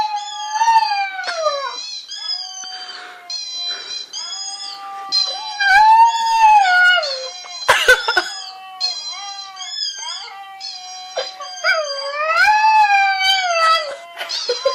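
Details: Domestic dog howling in long, wavering tonal notes that rise, bend and fall, each held for a second or two with rich overtones, repeated with brief breaks throughout; a few sharp clicks or knocks are mixed in.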